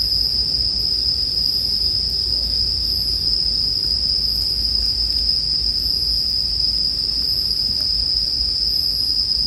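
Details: Bell crickets (suzumushi) keep up a constant, piercing high ring for nearly ten seconds, steady and unvarying, while a quiet low rumble of burning firewood runs beneath.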